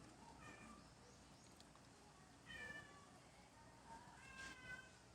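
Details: Two cat brothers play-fighting indoors, squabbling playfully; quiet harmonic meows rise near the start, then a louder pair of meows around the middle and end, over a low steady background hiss.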